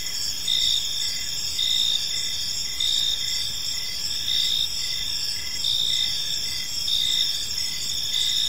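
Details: Crickets chirping through a peaceful evening park, a dense high trill in layered tones with rhythmic louder pulses about once a second, backed by a dull, constant low murmur.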